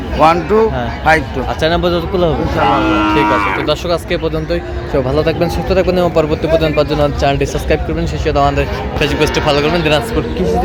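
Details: Sahiwal bull calves at a cattle market in Chattogram, Bangladesh, on 29 January 2026. A drawn-out, low moo rises above constant crowd chatter, nearby men talking and background music.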